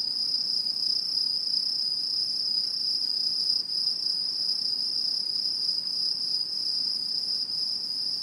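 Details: Autumn insects singing in Japanese satoyama countryside in 2016: a steady, unbroken high-pitched ringing drone with a fainter, even higher shimmering band above it. The tone holds level throughout, with no other clear sounds.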